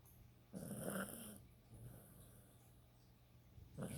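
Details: Sleeping dog Shnappy gives one long, harsh, rattling snore, then quiet breathing, then another snore begins at the end, all over a constant low background hum.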